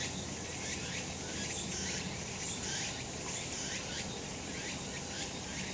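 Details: Cicadas calling on a sunlit summer mountainside: a steady, dense, high hissing drone that swells in soft pulses roughly once a second, chorus-like and unbroken, with no other clear sounds.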